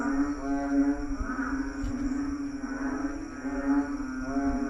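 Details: Frogs massed in a lawn at night, croaking in a low, reedy chorus whose pulsing waves build and fade in uneven bursts.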